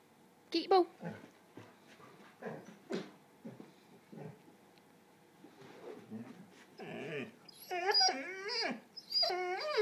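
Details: Dog whining and whimpering while its ball is stuck, with rising and falling nasal wails near the end. Earlier, a person repeatedly asks where the ball is and gives a sit command.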